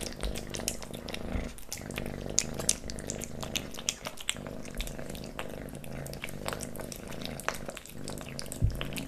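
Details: Kitten Leo eating pate wet cat food, stick treats and creamy treats, recorded close up: rapid wet licking and chewing clicks pile up across the whole stretch over a steady low hum, with a few louder smacks.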